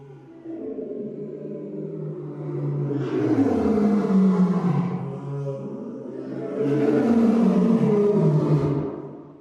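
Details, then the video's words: African lion giving two deep, drawn-out roars, each swelling then sliding downward in pitch and fading, the second roar following a short gap after the first. "African Lion Several Roars"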